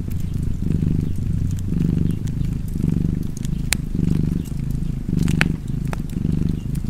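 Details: Low, vibrating purr from a cat beside a fireplace, pulsing in inhale-exhale cycles a little over a second apart, with scattered loud wood crackles and a few sharp snaps.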